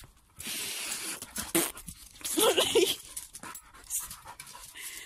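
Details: A sprocker spaniel leaping around and attacking bubbles gives short, rough barks and excited panting breaths, with people talking nearby.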